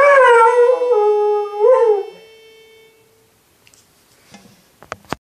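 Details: Dog howling along to a harmonica: a long sustained tonal howl with rich stacked harmonics, steady then briefly rising near the end before fading, followed by quiet with a few soft clicks and knocks.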